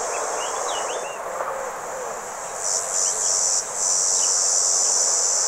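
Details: Red cicadas (Tibicina haematodes) give a steady, high, hissing buzz that swells louder partway through, recorded on 27 June 2023 at a motorway rest area in the Vienne department, France.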